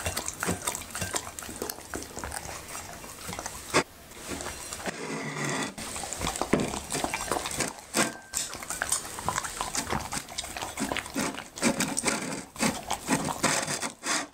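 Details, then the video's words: Labrador retriever named Happy eating okra and raw meat; continuous wet smacking and crunching bites, a brief quieter pause near the middle, with clinking like a dish being nudged. "Happy's Eating ASMR:Okra and Raw Meat"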